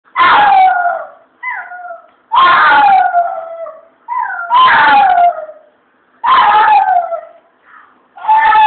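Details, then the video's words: Chihuahua singing along, a series of wavering howls about every two seconds, each starting bright and sliding downward, with short softer whining notes between them. "chihuahua sings lady shady sings"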